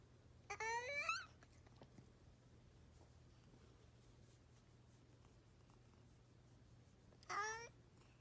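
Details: Cat making an odd call indoors; two short, quiet, squeaky rising meow-like chirps, one at the start and one near the end, with near silence and a low steady hum between them.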